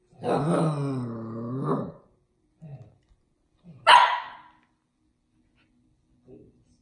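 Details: A female Samoyed puppy practising her bark gives a long, wavering, growly woof, then a short grunt and one sharp, bright bark.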